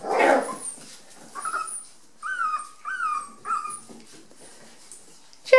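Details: Five-week-old Rat Terrier puppies playing indoors in a bathroom during wet, cold weather; a brief noisy rustle opens, then four short, high, tonal whines or yips, each slightly falling, about half a second apart, in a quiet room.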